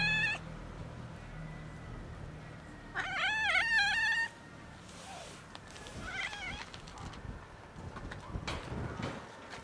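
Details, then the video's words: Domestic cat meowing as it is touched: a brief harmonic meow at the start, then a louder wavering, rising-and-falling meow lasting about a second, followed by fainter short mews and soft rustling handling noises. "Meowing cat makes weird noises when I touch her"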